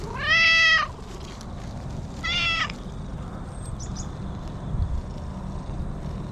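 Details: Stray cat calling from inside bushes, talking and happy to be petted; two clear meows, the first longer and falling at the end, the second shorter about two seconds later, over a low outdoor hum with faint rustling.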